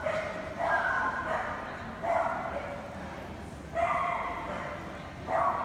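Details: Golden Retriever barking: four mid-pitched, somewhat drawn-out harmonic barks spaced about one and a half seconds apart, each rising out of a steady low background hum.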